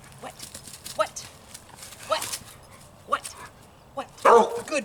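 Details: A young domestic dog, normally taught not to bark, gives a few short, hesitant barks while being trained to bark on command, between a trainer's repeated commands and praise.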